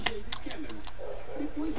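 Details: Trufa, a female miniature dachshund adopted after being abandoned on the street, gets agitated when the owner's husband pretends to bite her ear. She gives short, high, squeaky whining yelps, mixed with a woman talking to her.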